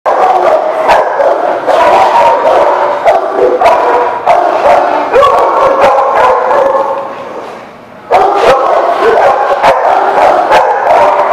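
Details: Many dogs barking together in a dense, overlapping chorus of sharp, rapid barks and yips, nearly continuous, with a brief quieter lull around the eighth second before the barking resumes loudly.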